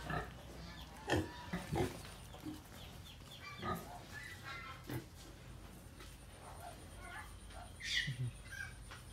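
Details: Pig kept at home alongside piglets, giving scattered gruff, low grunts and snorts in irregular bursts, with faint talking and background noise between the calls.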